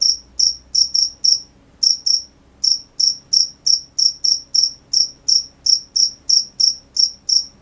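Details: Night-time cricket chirping: sharp, high, ringing pulses repeated about three times a second, with a couple of brief irregular gaps near the start and a quiet low background hum.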